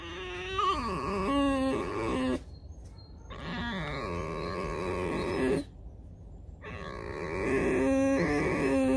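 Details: Pet fox at home, coaxed by its owner to get up and go; three bouts of nasal, harmonic whining with swooping and wavering pitch, separated by short quiet gaps, and a person speaking softly nearby.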